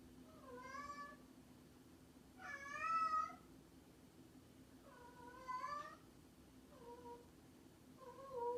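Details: Domestic cat, described as a mischievous cat, meowing repeatedly indoors: five harmonic, slightly wavering meows over eight seconds, the second louder and longer, with a steady low hum in the background.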